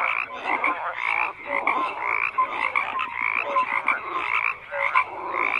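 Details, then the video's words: Many frogs croaking together in a dense chorus, overlapping rapid croaks and short tonal notes repeating constantly, with steady hum beneath and no other clear sounds. "FROGS CROAKING"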